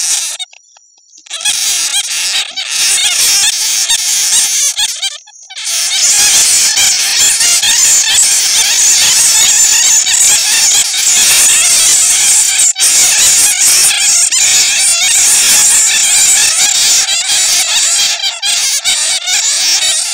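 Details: Bat lure made from the genuine voices of bats caught in a net: after a few short opening bursts, a long unbroken wall of harsh, high-pitched squealing and chittering.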